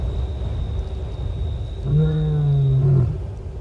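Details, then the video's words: Lioness moaning at Nkorho Bush Lodge on 30 September 2021 to reach other lions. A single deep, sustained moan lasts about a second, rich in overtones, over a low background rumble and a faint thin high tone. "Lion: Female 11+ hrs "moaning" (searching contact)"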